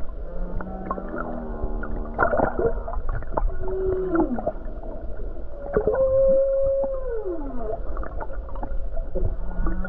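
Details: Humpback whale song recorded near Hawaii's coast on a calm day with many whales around: a varied sequence of low groans, a rising then falling moan, and a long held tone that slurs down, with clicks throughout and a deep background rumble.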